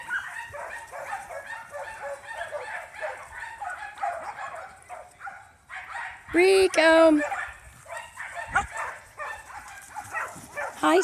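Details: Riko and three little pups: a steady run of soft, high puppy yips leads into one loud, drawn-out whining yelp in the middle, then more scattered yips, with a person speaking gently to Riko throughout.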